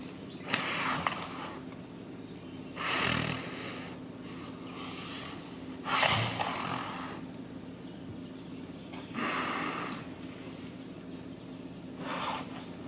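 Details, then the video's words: One of two male Indian gaur bulls, one young and one old, gives breathy, rasping roars about every three seconds during the mating season, early morning on 18 November 2018, in forest near B.R. Hills, Karnataka. "Indian Gaur : Roaring during mating season. ಕಾಟಿಗಳ ಕಾದಾಟದ ತಯಾರಿ."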